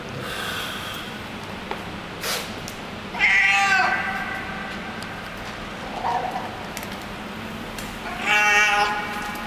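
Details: Street cat in a garage basement making strange happy noises as it eats: two loud, bright, harmonic cries a few seconds apart, with fainter murmurs and eating clicks in between.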